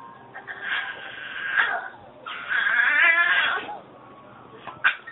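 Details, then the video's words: A female Yorkshire Terrier makes her usual odd, wavering whines and moaning, yodel-like noises in bursts. "Crazy dog noises funny yorkie"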